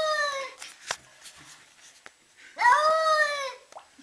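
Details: Distressed cat freaking out: a short falling wail opens, then after a quiet stretch comes a loud, harmonic-rich yowl that rises and sags over about a second, in a small room.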